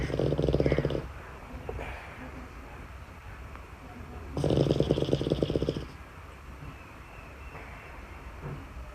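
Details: Sleeping Boston Terrier puppy snoring away from its own cot: two rough, rattling snores about four seconds apart, each lasting a second or more, with a quiet room between them.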